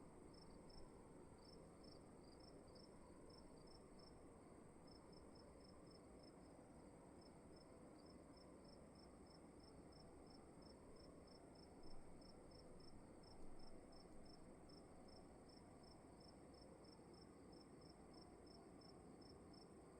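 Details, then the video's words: Crickets indoors chirp in a high, rapid, regular train, broken briefly near the start, with two faint knocks near the middle over a low room hum. "Sound of emptiness and crickets in the room"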